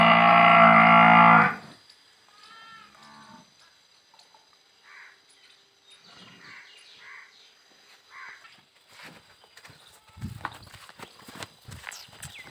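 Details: Murrah buffalo on a dairy farm in Parbatsar, 16 December 2022, opening with a strong harmonic bellow of about one and a half seconds, then faint farmyard sounds and soft knocks for the rest.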